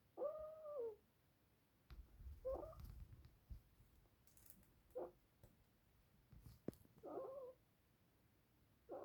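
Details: Snoring pet ferret indoors: faint, whistly nasal breaths rising and falling, coming irregularly every two to three seconds, with small rustles and clicks between them.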